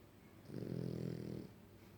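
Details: French Bulldog snoring: a single low, buzzy, rattling snore lasting about one second, swelling and fading smoothly against a faint steady hum.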